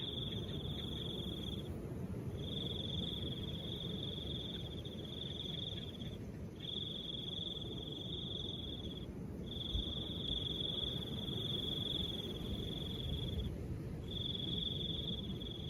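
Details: Crickets trilling in long high-pitched phrases, each several seconds long and broken by short pauses, while soft wind keeps up a low continuous hiss underneath.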